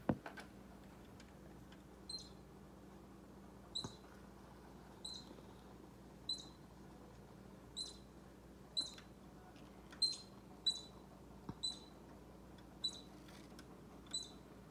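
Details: Baby squirrel squeaking near Bushy the orange cat, whose tail twitches to the tempo; a long run of about a dozen short, high, clipped squeaks at irregular one-to-two-second gaps against a low steady hum.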